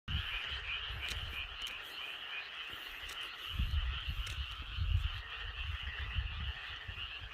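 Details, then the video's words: Loud chorus of frogs and Korean narrow-mouthed toads outdoors: a dense, unbroken high trilling wash, with deep low croaking pulses that swell between about three and a half and five seconds. "우렁찬 개구리 맹꽁이 합창"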